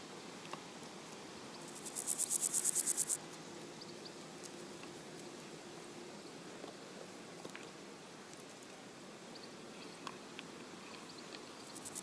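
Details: A meadow grasshopper (Chorthippus parallelus) gives a brief, high, dry burst of rapid scratchy pulses lasting about a second.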